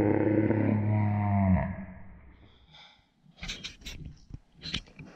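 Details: Sparky, a rescue Basenji, indoors while being coaxed to jump for treats: a drawn-out, throaty, harmonic growling vocalization lasting about one and a half seconds and sinking at the end, followed by soft clicks and shuffling.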